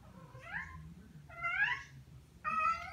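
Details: Three rising, harmonic meows from Tom, a male pet cat, each about half a second long, the last one level and strong, over a faint low rumble.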